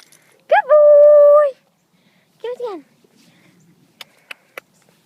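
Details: Trained pet dog, a male, vocalizing on the command "speak": one drawn-out, tonal, whine-like bark lasting about a second, then a shorter yelp that falls in pitch, followed by a few faint clicks in a quiet room.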